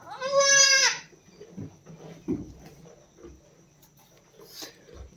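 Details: Goat on a farm where a doe gave birth to a kid early this morning: one loud, high, wavering bleat lasting under a second, then quiet farmyard sounds and soft voices.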